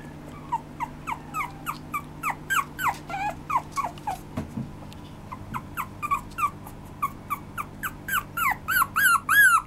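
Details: Maltese and Shih Tzu mix dog giving a steady run of high, rising-then-falling whines and yelps, about three per second, growing louder and more strained toward the end over a low electrical hum.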